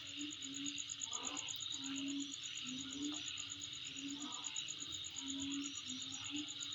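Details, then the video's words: High, evenly pulsed insect trill sustained without pause above a dense buzzing chorus, accompanied by intermittent lower droning tones. "Sound Of Insect In My Place"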